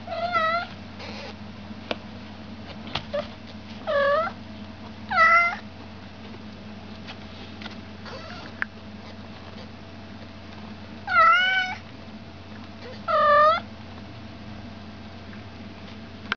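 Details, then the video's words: Repeated meowing from an American Shorthair kitten. Six calls rise and fall in a drawn-out, slightly plaintive arc, spaced irregularly over sixteen seconds, with a faint steady hum and occasional clicks between them. "Американская короткошерстная /American Shorthair kitten"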